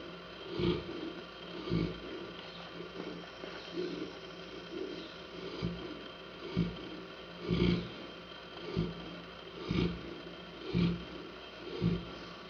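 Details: Rhythmic snoring from Hanna the Saint Bernard, coarse low snorts coming close to once a second, some louder than others, with a steady electrical-sounding hum underneath.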